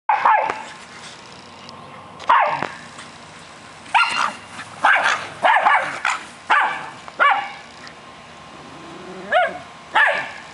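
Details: Three dogs, an American Eskimo, a Schnauzer and a Boston Terrier, playing together indoors: sharp, mid-pitched barks and yips come in scattered bursts, some doubled, with quiet pauses between them.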